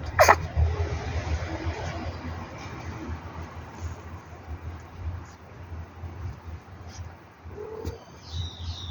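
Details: Leo, one of street cat Banbani's five kittens, recorded 8 June 2024: a sharp, explosive sneeze right at the start, another short burst near the end, with steady low hum and faint high chirps between.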